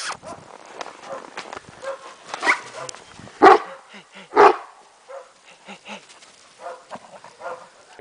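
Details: Kuvasz Zoltan romping in the snow with a child. Faint rustling and low voices build to two strong, abrupt barks about a second apart, then quieter scattered sounds.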